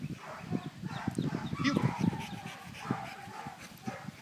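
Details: Indie, a dog aged 23 months, at retrieve training, panting in quick rough bursts about two to three per second, low and throaty, with faint voices in the background.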